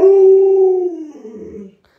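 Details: Luoluo, a pet Alaskan Malamute, calls out while playing hide and seek with its owner; a loud, sustained howl-like tone holds steady for nearly a second, then sags lower and fades into a rougher, quieter tail before stopping.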